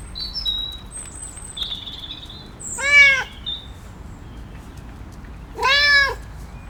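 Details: A cat meows twice, loud and clear, about three seconds apart. Each meow is a short, rich, bending cry. Thin, high whistled notes, possibly from birds, come beforehand.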